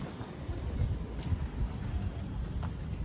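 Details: Low rumbling wind and vehicle-like noise fill a short stretch, with no animal voice standing out.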